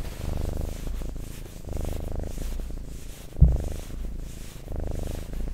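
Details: Pet cat purring for ASMR in even, soft rumbling waves about every one and a half seconds, broken once by a sharp click.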